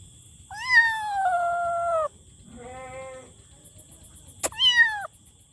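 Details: Kitten meowing loudly: three drawn-out meows, the first long and gently falling, a softer lower one mid-clip, and a final rising-falling meow, with a sharp click just before it and a faint steady high whine behind.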